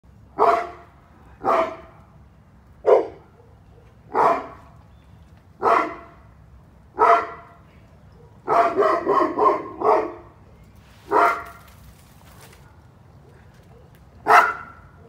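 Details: Cane Corso named Drago guarding its yard, giving deep, loud barks about every one to one and a half seconds, with a rapid cluster of barks near the end; a quiet background hum underneath.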